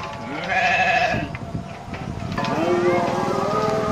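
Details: Domestic goat kept as farm livestock, giving two wavering, nasal bleats: a short one early, then a longer, shaky bleat in the second half, with faint background voices and noise.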